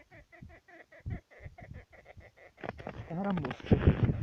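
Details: Jerboa in Yakutia, small but feisty, picking a fight and outraged at people's behaviour: a rapid run of short squeaky chirps, about five each second, before human voices take over and mask the end.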